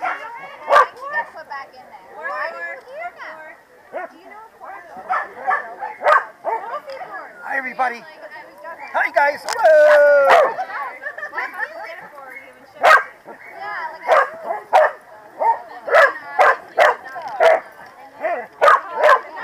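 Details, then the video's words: Corgis barking at the PWCCGS NJ Corgi Funday Sunday 2017 in New Jersey: sharp, irregular barks, some in quick bursts, with a drawn-out whining yelp near the middle, over steady human chatter. "Corgi Feared Gang - Rumbles"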